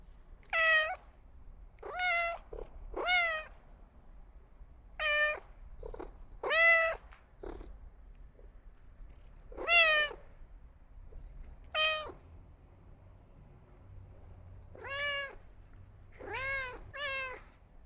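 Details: Cat meowing repeatedly: about a dozen brief, bright meows, some paired closely, others spaced one to three seconds apart, each rising then dropping slightly, over a quiet low hum.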